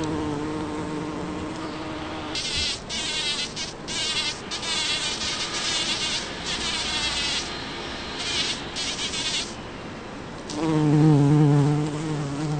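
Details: Bumblebee working Champlain rose flowers in a back yard in Toronto, Ontario, on June 5, 2010; a low, droning buzz with a wavering tone, rising and falling in pitch, with a harsher, brighter middle stretch and the loudest buzz near the end.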